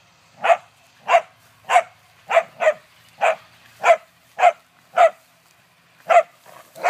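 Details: Whippet barking steadily in a run of about eleven short, sharp barks, spaced roughly every half second to two-thirds of a second, against a quiet background.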